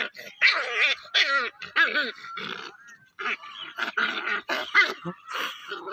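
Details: Playing puppy makes a string of short squealing yelps that bend up and down, mixed with grunting, growl-like bursts in quick uneven succession.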